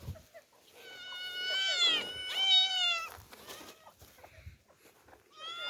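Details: Two orphaned girl cats, Demi and Dena, surprised by their first outing into open nature. Two loud, long meows follow one another, sliding slightly downward, then a fresh meow begins at the very end. A few soft knocks sound beneath.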